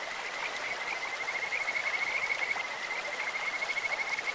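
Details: Kajika frog in a clear mountain stream, giving a sustained high trill of fast, evenly pulsed notes that swell slightly toward the end, set against a steady hiss of flowing water.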